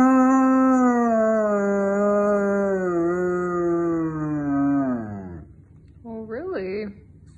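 A German Shepherd gives a long, mournful howl that slowly sinks in pitch, then a brief wavering yelp.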